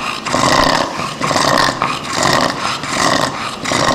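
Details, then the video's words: Bulldog with brachycephalic syndrome, its overlong, thick soft palate at the trachea entrance causing snoring and breathing difficulty: harsh, rasping, roaring breaths in loud bursts, about five in four seconds, each lasting under a second with brief gaps between. "Ronflement du bouledogue"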